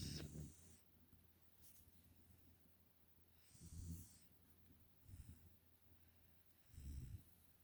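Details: Nala, a five-month-old Pungsan puppy living in the United States, snoring while asleep; soft, breathy low snores come in irregular bursts, four within eight seconds, over a quiet background with faint airy hiss between breaths.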